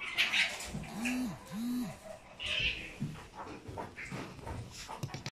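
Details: A Chihuahua puppy born on 10 October 2019 gives two short whining calls that rise and fall, over a hissy room background.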